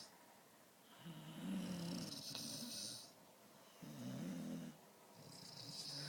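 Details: Two long, grating snores from a sleeping Dalmatian, each low and buzzy and lasting over a second, separated by a quiet inhale, while the dog snores in tune with its owner.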